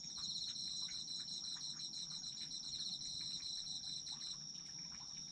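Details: Night chorus of autumn insects meant for sleep: continuous shrill trilling plus a busy, fast pulsed chirping that fades out near the end, scattered faint ticks and a quiet low hum underneath.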